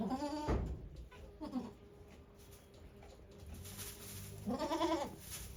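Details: Goats at Yoshigake farm on 3 May 2023, where the goat Okayu gave birth to two kids; two short wavering bleats at start and end, with a faint one between, over a hissing background.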